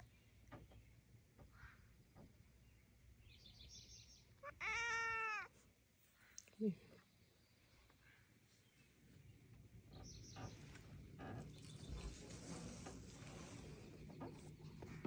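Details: A male rescue cat named Willy Winston is out at the docks. He lets out a short, loud, arching meow, then a brief squeaky chirp, amid low outdoor rumble and faint voices.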